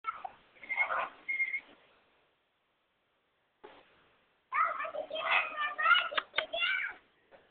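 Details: A curious squirrel monkey in a walk-in enclosure with free-roaming macaws and squirrel monkeys reaches for the camera, giving bursts of high, squeaky chirps and twittering notes that rise and fall, in two clusters separated by a short pause.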